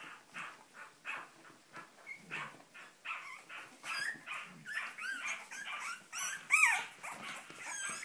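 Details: Cavalier King Charles Spaniel giving a rapid run of sharp yelping barks, several sliding upward into squeaky whine-like notes, with the loudest, highest squeal near the end.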